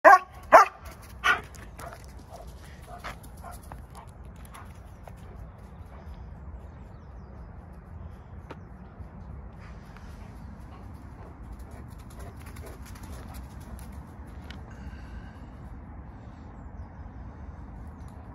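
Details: Working-line German Shepherd chasing squirrels in a park: three loud, sharp barks in the first second and a half, then quiet outdoor ambience with faint distant sounds for the rest.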